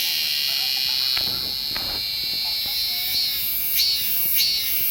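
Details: Korean cicada song: a steady, piercing high buzz with brief pulsing accents near the end, repeating roughly every second or so, over faint low rustling.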